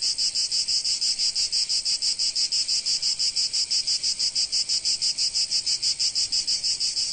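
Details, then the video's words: Sunny Provence cicadas give a very regular throbbing buzz, sharp high pulses repeating about three times a second like a steady rattle, loud and constant. "Sounds of Cicadas in Sunny Provence"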